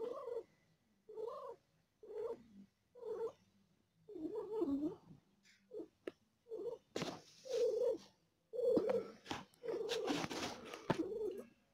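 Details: A female domestic cat giving birth to four kittens and in pain: rhythmic, breathy purr-like bursts about once a second, growing rougher and noisier toward the end, with scattered rustling and clicks.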